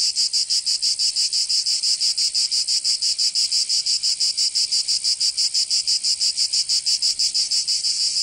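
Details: Summer cicada chorus from Provence in the south of France, a loud rasping buzz held high and throbbing in fast, very even pulses throughout, nothing else audible.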